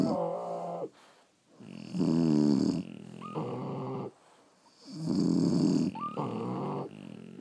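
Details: A French Bulldog snores while asleep, alternating coarse buzzing inhales and softer exhales, with brief squeaky whistles at the start of two breaths.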